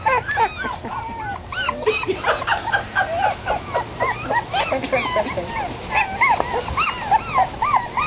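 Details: A chorus of 3.5-week-old puppies, the terrier mother's and Australian Shepherd father's litter, yipping and whimpering in quick overlapping bursts on their first day outside, with a steady low hum beneath.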